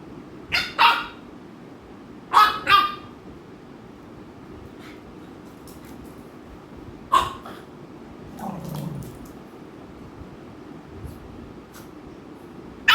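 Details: American Bully dogs Ami and Mikku at home in Kerala, Ami annoying Mikku; a few short sharp barks, a double bark near three seconds, one more at seven seconds, and a low whine-like sound near eight seconds over quiet room noise.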